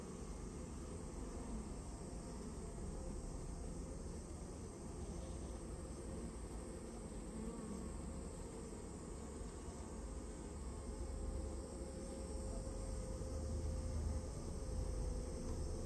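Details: Japanese honey bee colony that built its nest inside a storehouse, being removed, gives a dense, steady low hum that rises slightly in loudness toward the end and holds a faint tone throughout.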